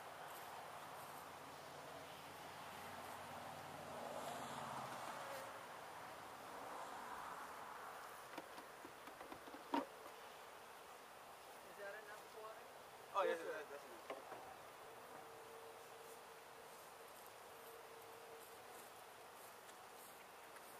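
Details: Honey bees from a gentle hive, in place at least one season, being removed from a house window in Edinburg, Texas, near sunset; a steady droning buzz swells around four to seven seconds, with sharp knocks near ten and thirteen seconds.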